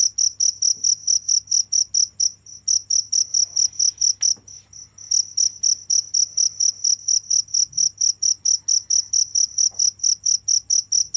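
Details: A cricket repeating high, bright chirps at a regular pace of about four a second, with two short lulls where the chirps soften, over a low constant hum.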